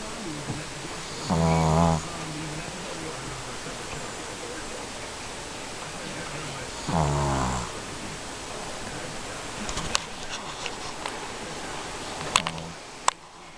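A Shih Tzu snores in two long, low, rattling breaths, several seconds apart.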